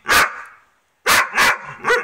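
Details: Female dog in a bad mood after losing her favourite ball, with a Dobermann and a Rhodesian Ridgeback present, barking at the other dog and the camera: one loud harsh bark, a pause of almost a second, then three quick barks; a person speaks.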